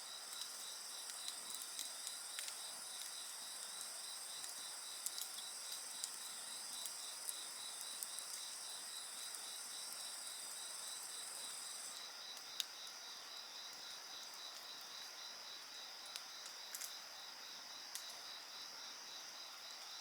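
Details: Insect voices fill the air in a dense, unbroken high-pitched trill, several callers overlapping with a fast pulsing beat beneath; scattered faint crackles of a campfire tick in the background.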